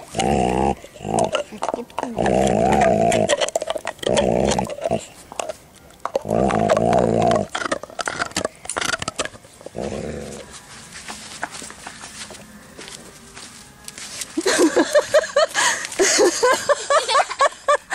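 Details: Male Dalmatian, Herr Maier, defends his chew bone with a loud growl: long, rough, droning bursts for the first ten seconds, then quieter rumbling and scattered clicks before a louder, noisier passage near the end.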